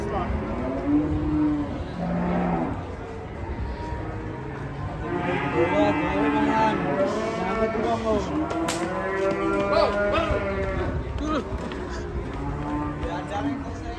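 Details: Agitated, raging cattle giving repeated bellows, several harmonic moos overlapping and rising and falling, with a sharp clatter near the middle and steady background noise throughout.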